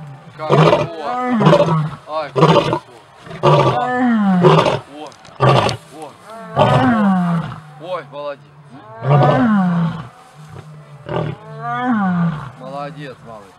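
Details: Pride leader lion asserting order during evening chases: a long series of about ten low, groaning roars and grunts, each swelling then dropping away, coming every second or so with uneven gaps.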